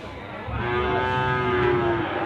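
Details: Limousin cattle at the Gondanglegi livestock market in Malang Regency, East Java, Indonesia, 12 February 2020: one long, steady, harmonic moo lasting about a second and a half, with a low murmur of market background.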